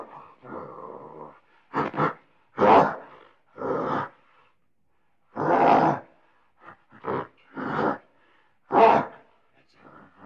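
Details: Gorilla grumbling and grunting out of frustration, a series of low rough grunts and harsh bursts at irregular intervals, some longer and growling, some short and clipped, with faint murmurs between them.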